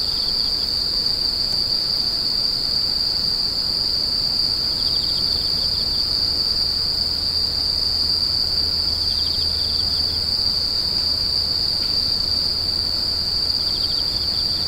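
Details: Crying insects make a steady, piercing, high whine held at one pitch throughout. Faint lower buzzy patches surface now and then, and a quiet low rumble runs under the middle stretch.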